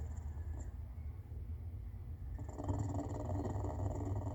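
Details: A clouded leopard gives a low, steady rumble that swells louder partway through; the owner is unsure whether it is purring or snoring.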